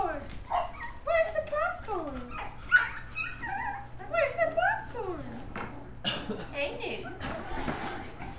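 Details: A litter of nine Shetland Sheepdog puppies indoors, hearing a bouncy pop tune for the first time, break into a chorus of high, rising yelps and squeaky barks over the music, with an adult voice speaking to them.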